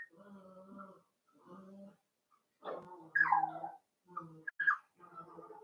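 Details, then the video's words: Playing Cavalier King Charles Spaniel puppies, raised inside a home puppy pen, whimper in steady drawn-out whines, then break into louder squealing yelps and short high yips near the end before settling back into whining. "Cavalier Puppies Live: Puppies Playing"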